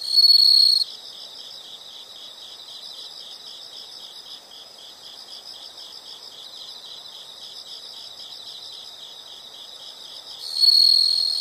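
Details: Insect chorus outdoors, a soft high pulsing hum throughout, bracketed by louder shrill continuous trills at the opening and the close.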